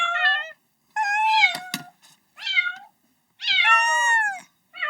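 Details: A young cat calls for its mother with four loud, strained meows, each rising then falling, separated by short silences, plus a couple of faint knocks in the background.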